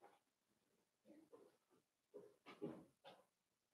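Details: Four-week-old Cavalier King Charles Spaniel puppies in their pen, soft grunting whimpers and squeaks coming in a string of short bursts, low and muffled, with faint background hiss.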